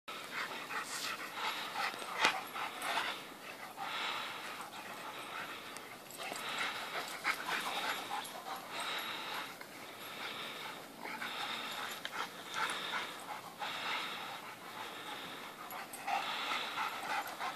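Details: White dog panting while playing with another dog one morning, giving quick breathy bursts in short irregular runs with brief pauses between them.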